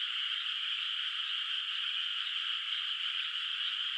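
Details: Frogs echo from afar across a rice field under moonlight, before rice planting; the calls fuse into one steady, bright buzzing drone, unchanging from start to finish.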